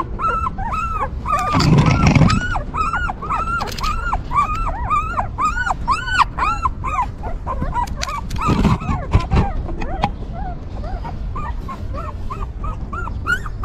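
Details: Several newborn puppies cared for by a stray mother dog keep up a steady chorus of high arched squeaks and whines, with bursts of low rustling and muffled handling noise.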